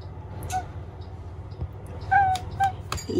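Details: Domestic cats chatting from early morning, the cat Omusubi in a clingy, affection-seeking mood. Three short, clear chirped meows, one early and two close together near the end, over a steady low indoor hum.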